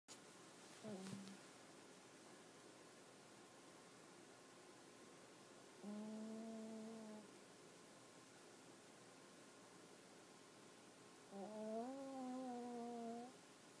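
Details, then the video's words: Sleeping puppy, its head resting on a person's leg, snoring: quiet, tonal, nasal hums, each about a second long and slightly rising, three times with long pauses of about five seconds between them, over a soft steady background hiss. "My Puppy Toby Snoring"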